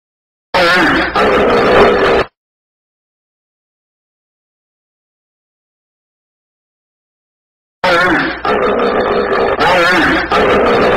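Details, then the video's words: Hippopotamus giving two bursts of loud, raspy, buzzy calling, each roughly two to three seconds long, separated by a long stretch of silence. "Âm thanh con Hà mã"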